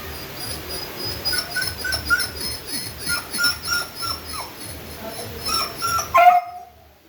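A beagle whines in thin, high whimpers repeated about twice a second, ending in a sharper rising cry.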